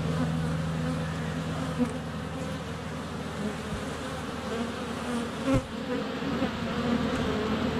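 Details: Honey bees buzzing in flight around the hive entrance on a sunny February day, GoPro close up; steady low buzz with a rising wingbeat drone at the start and a few sharp taps, as bees land on the camera.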